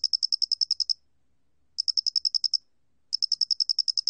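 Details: Pulsed chirps of a square-headed cricket, 2020, National Institute of Biological Resources: three crisp runs of shrill ticks, roughly ten each, broken by pauses of under a second; nothing else audible.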